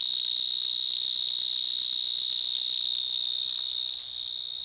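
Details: Stridulating vineyard mole cricket, Gryllotalpa vineae, heard close up in a Gironde vineyard at evening where many are calling; a loud, continuous high-pitched trill that barely wavers, dipping slightly in volume near the end.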